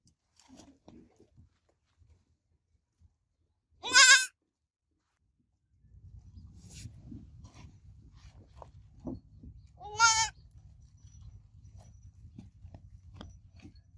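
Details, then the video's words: Baby goat kid giving two short, high, harmonic-rich bleats several seconds apart, separated by quiet stretches with a low steady hum and scattered faint clicks. "Baby Goat Sounds Babbling Sound Effect Goat Kid Sounds Effect"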